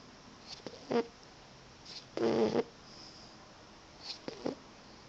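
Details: Boxer puppy Roxie asleep in the afternoon, giving two short snores: a brief rasp followed by a longer, louder buzzing breath, with quiet snuffles between.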